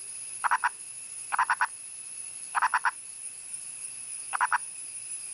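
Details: A wild male Indian purple frog (Nasikabatrachus sahyadrensis), calling from above ground in India's Western Ghats, gives short clucking bursts of three or four rapid pulses, repeated at irregular intervals.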